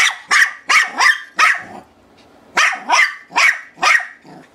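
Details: A female Shih Tzu barks at a toy she seems afraid to grab, giving sharp, high yappy barks in two quick bursts of four.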